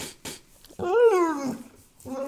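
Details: A pit bull asking for food indoors: a tonal whine rising then sliding down over under a second, followed by a shorter rising whimper, after a person's brief exclamation.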